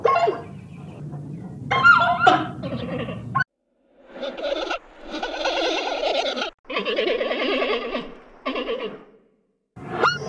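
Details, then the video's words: Giant panda calling, with a rough low grumble early on, then long wavering bleats with a shaky, trembling tone in three drawn-out bursts separated by short silences, plus a brief squeak at the end. "FUNNY PANDA BEAR NATURAL SOUNDS"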